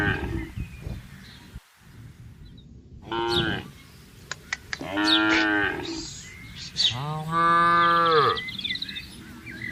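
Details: Free-roaming grazing cattle in a wide green garden, calling moo: one short low call near three seconds, then two long harmonic moos around five and seven to eight seconds, with bird chirps and outdoor background.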